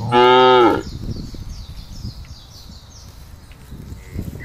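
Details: Tame cattle roaming free in village rice fields and farmland, raised for fattening: one loud harmonic moo lasting under a second, followed by quiet field background with faint high bird chirps.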